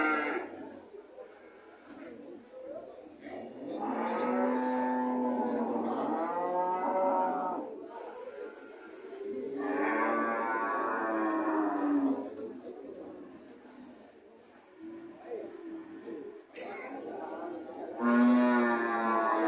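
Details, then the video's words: Cow mooing loudly in long, sustained bellows lasting about three seconds each. Lower grunting moos fall in between, and a final rising moo closes the sequence. "Sound of cow"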